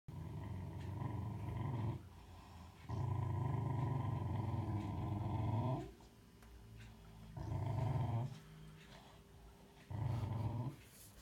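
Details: A Cocker Spaniel mother gives deep, rolling growls in sustained bursts of a few seconds with short quiet gaps, keeping the father away from their only pup, born two days earlier; the father stands still.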